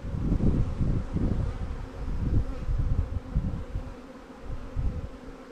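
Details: Swarm-captured honey bee colonies in Langstroth and Warre hives hum steadily as a beekeeper works them; loud low rumbling handling noise early, easing into a softer even drone.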